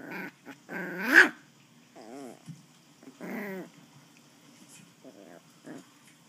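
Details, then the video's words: West Highland White Terrier puppy growling while playing with a person: short bursts of harmonic-rich growls and whiny, wavering grumbles, with one louder peak near the start, separated by brief quiet gaps. "Westie puppy growling"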